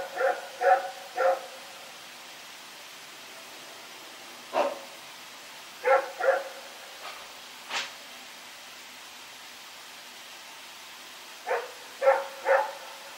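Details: Night barking by Rex, a dog running about, recorded 21 September 2018. Pairs and triplets of loud barks are scattered through the stretch, with a few sharp clicks or knocks between them and steady low hiss.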